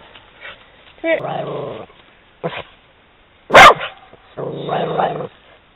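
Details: Italian Greyhound reacting to a horse during a walk: low growling rumbles, a short yip, then one very loud sharp bark followed by more growling.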